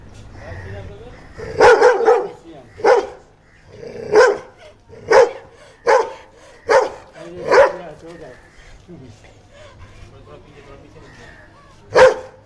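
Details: Dalmatian dogs described as very aggressive, barking: about nine loud, harsh barks with strong harmonics, mostly in a rapid run roughly every second, then a pause before one last sharp bark.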